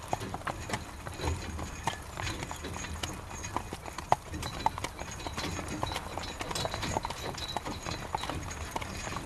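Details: In rainy weather a horse draws a carriage, hoofbeats clopping evenly and repeatedly with a few louder strikes, while continuous rain hisses in the background.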